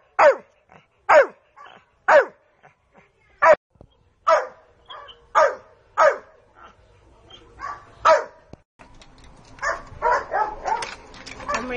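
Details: Household dog during a game of searching for its basket: a run of about ten sharp barks, one roughly each second, then softer yips mixed with background noise and a woman's coaxing voice.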